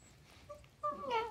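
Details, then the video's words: Faye, a 5-month-old tricolor corgi girl, talking indoors: faint murmurs, then a loud harmonic whine that rises and wavers for about half a second. "Faye Talking"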